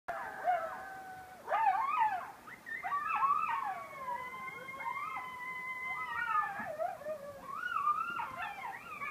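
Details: Several coyotes howl together in the beach forest at Station 26 1/2 on Sullivan's Island, South Carolina: wavering, overlapping tones broken by sharp, sliding yips. Coyote.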